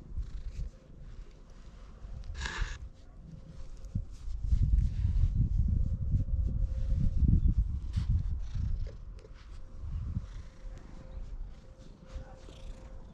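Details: Stray cat in Japan following a person while wary of its surroundings, recorded on a GoPro HERO8: a deep, continuous rumbling purr swelling and fading over several seconds, with faint outdoor noise and a steady low hum.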